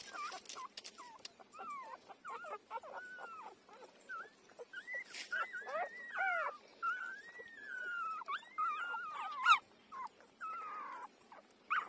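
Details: Tiny five-day-old puppy feeding at its mother, whimpering almost continuously: thin high squeaks and drawn-out wavering whines, some sliding up then down, over light rustling.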